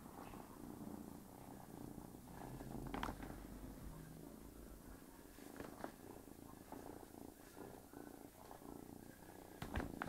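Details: Domestic cat purring while a kitten pesters it as it tries to sleep indoors; steady low rumbling purr runs throughout, with scattered rustles and soft knocks from the animals moving.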